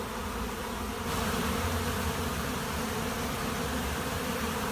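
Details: A Western honey bee swarm at a monastery apiary makes a dense, steady hum, low and continuous without a break.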